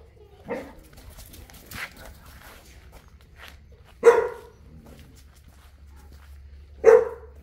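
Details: Human voices murmur at first, then one of Enzo and Diva, a Boerboel pair in Egypt, barks twice, single deep barks about three seconds apart.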